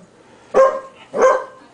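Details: Two short, punchy barks about half a second apart, from a male standard poodle named Bailey teasing his girlfriend Libby while they play tug with a toy, recorded in 2003; quiet room background between barks.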